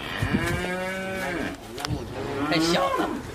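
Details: Cow at a breeding farm during her second mating with a bull: long, steady, low droning moos with rich even harmonics, one held for over a second, then a second rising, strained moo. Faint voices in the background.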